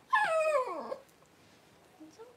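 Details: Newborn Cavalier King Charles Spaniel puppy during Paris's whelping of her first puppies at home, January 1: a single loud, harmonic-rich cry falling steeply in pitch over nearly a second, then quiet with faint small squeaks.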